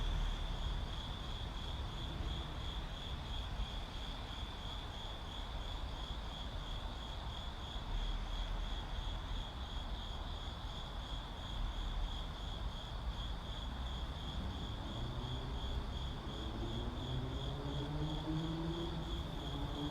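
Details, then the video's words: Crickets calling amid city ambience: a steady, high, finely pulsed trill runs unbroken through the whole stretch over a constant low traffic rumble, with a rising engine drone, like a passing vehicle or aircraft, building near the end. "Ambient Crickets in City"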